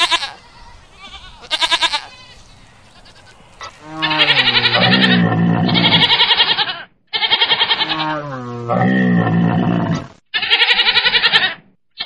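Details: Goat bleating while fighting a camel: long wavering harmonic bleats around four to six seconds and again near nine, between sharp bursts of rapid clicking pulses and a background hum.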